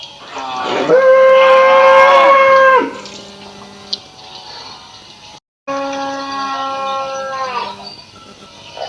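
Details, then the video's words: Indian cow on a village farm in Assam, mooing twice: a long, steady, harmonic call of about two seconds that swoops up at the start, then a pause and a second similar drawn-out moo that falls away at the end. "Funny Cow Sounds video"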